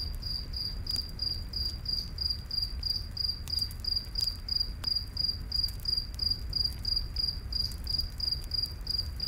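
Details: Crickets at night in a forest beside a campfire: steady high, thin chirps pulsing about three times a second throughout, over soft fire crackles and a low rumbling hiss.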